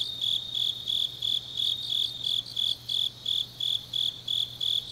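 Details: Night insects of the autumn grass in Changnyeong, South Gyeongsang, chirping shrilly in short, even bursts about three per second, backed by a softer continuous high trill and a quiet low droning hum.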